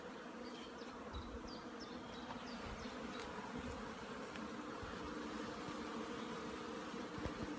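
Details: Hive honey bees out flying in sunny weather on 15 April 2016 after a week and a half of rain, giving a continuous even buzzing drone; quick thin bird notes sound in the first seconds.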